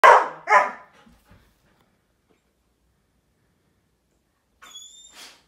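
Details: German Shepherd kept occupied at home: two loud, sharp barks in quick succession at the start, then near silence, and a brief thin whistling tone with a rustle near the end.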